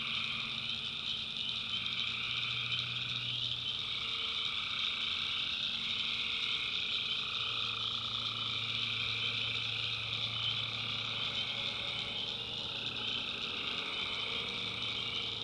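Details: Nighttime swamp in the backwoods of North Carolina, where tree frogs form a steady, high-pitched trilling chorus with a softer middle-pitched drone that swells and fades, and a faint low hum beneath.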